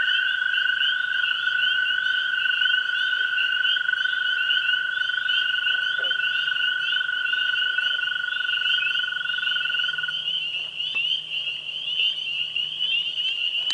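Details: Spring peepers, tree frogs and green frogs calling at a pond on a springtime evening. A thick high-pitched peeping chorus continues throughout, while a steady lower trill holds for about ten seconds then stops; a faint low hum follows.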